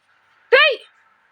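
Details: Kara, a pet cat at home in the morning, wanting milk, gives a single short, bright meow that rises then falls, clear against a quiet room.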